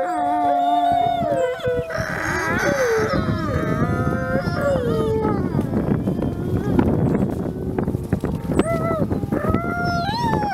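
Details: Gray wolves, including Nikai, a captive-born ambassador wolf at the Wolf Conservation Center in South Salem, New York, howl together on Christmas Eve: long, drawn-out, wavering tones overlapping in a layered chorus.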